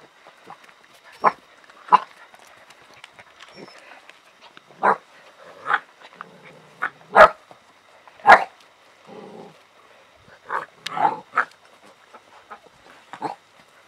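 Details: Alaskan Malamute puppies playing with a cat give short, sharp yips and barks at uneven intervals.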